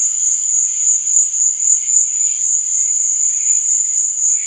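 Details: Nighttime crickets producing a dense, steady high-pitched trill, overlaid by soft, irregular lower chirps throughout.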